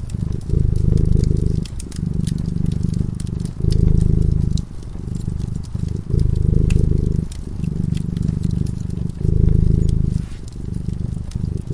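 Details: Drowsy cat slumbering at the fireside, giving a rhythmic deep purr in long swelling phases of one to two seconds, over light snapping and popping from the flickering fire.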